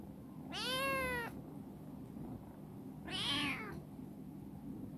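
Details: Two drawn-out meows, about two seconds apart, come from Chibikuro, a black female cat rescued from stray life who has grown clingy and affectionate. The first is clear and steady, the second higher and strained, with a quiet indoor background.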